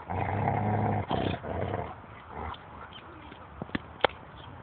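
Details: Eighteen-month-old female Thai Ridgeback growling off-screen at a shepherd dog eating prey the shepherd had caught and she had taken away; a low rumbling growl for about a second, then softer rustling and a few sharp clicks.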